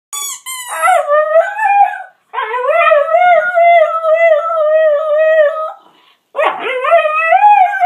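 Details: Domestic dog howling in the evening, long drawn-out tonal wails rich in harmonics, sliding up then holding steady, three howls separated by short breaths, the first opening with a high squeaky note.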